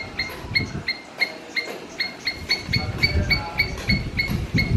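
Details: Short, clipped squirrel barks repeat roughly three times a second with a ringing upper tone, over a low, rumbling background noise that swells toward the end.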